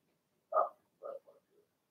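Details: Young Blenheim Cavalier King Charles Spaniel puppies in a home puppy pen, part of a litter of six born in early March: one loud nasal grunt, then two softer ones trailing off into a faint squeak.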